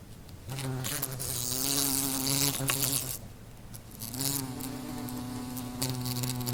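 A wasp's low, droning wing buzz swells and fades as it flies close past.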